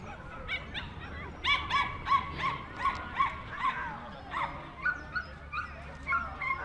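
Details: Jack Russell Terrier at the club's Speciality Show in Orchard Hills, New South Wales, on 15 October 2015: a rapid, uneven string of shrill yaps, about three per second, with people talking in the background.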